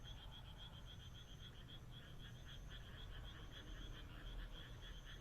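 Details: On a moonlit rural night, frogs croak in a busy chorus of quick bead-like pulses, roughly two per second, swelling slightly toward the end over a low background rumble and faint high tones.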